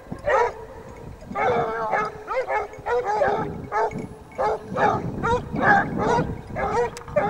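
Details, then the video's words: Pack of Basset Hounds from the French Rallye de l'Allagnon kennel following a scent trail, baying almost continuously: loud, ringing, slightly rising barks overlapping in quick irregular succession. "Basset Hound siguiendo rastros"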